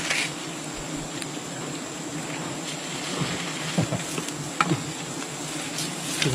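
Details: Bees from a wild colony during a honey-gathering harvest, dense hissing buzz spread broadly across pitches with a faint low hum beneath, broken by occasional taps, clicks and rustling of handling.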